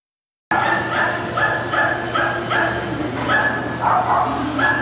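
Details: Lakeland Terrier at an international dog show in Korea, March 2016: a run of short barks about every half second over steady indoor hall noise and a low hum.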